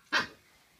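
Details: Shiba Inu puppy, 10 weeks old, playing with a doorstop indoors, gives a single short, sharp yip-like bark that fades quickly into quiet room tone.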